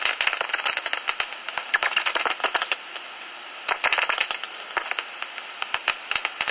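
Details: Roosting common noctule bats in a tree hollow near Ibbenbüren, Germany, on an August morning just before sunrise, giving bursts of sharp, high clicking chatter in irregular volleys separated by short quieter gaps.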